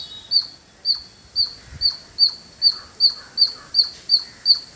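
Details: Squirrel calling in a village setting: a steady series of sharp, high, squeaky chirps, about two to three per second, each with a bright overtone, over a quiet background hiss.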